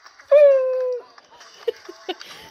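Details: A Basset Hound named Marsel gives one long, steady, mournful bay on command as he is urged to bark louder, followed by soft voices.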